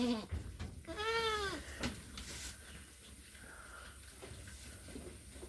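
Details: Goat on a Philippine mini farm calling as its kid goes missing; a loud, clear bleat with stacked harmonics arching up then down lasts under a second, followed by quieter murmurs, faint speech and steady hum.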